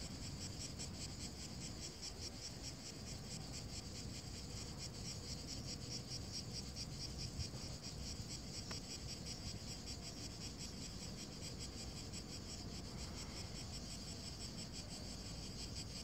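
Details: Cicadas over a dry lawn in hot weather in Verona province, Italy, on 23 June 2017, give a steady, high, shimmering chirr that pulses rapidly and never lets up.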